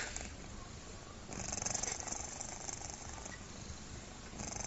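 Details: Sleeping cat gives a human-like snore: a quiet, rough rumbling breath that swells in the middle of the recording, then settles back to a gentle steady purr-like drone.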